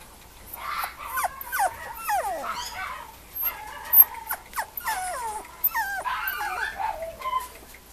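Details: Male Mame Shiba puppy at a Japanese breeder's kennel, whimpering and yipping in quick bursts of high, thin, sliding squeals that rise and fall. The calls come throughout the eight seconds, with brief quiet gaps and occasional overlapping cries.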